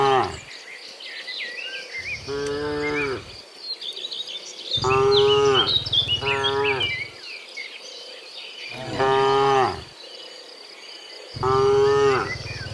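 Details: Morning cows walking from the field back to the barn, mooing repeatedly: five drawn-out, harmonic lows spaced two to three seconds apart, backed by busy birdsong and cricket-like chirping.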